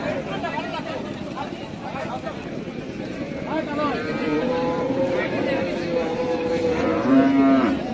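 A calf gives drawn-out, wavering moos over a steady background murmur.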